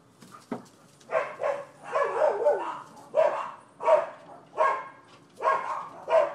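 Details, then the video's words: Neighbors' dogs barking on 12/7/15, a nuisance complaint: a run of loud, hoarse barks in quick succession, roughly one every second, some doubled, over quiet background. "Barking Dogs"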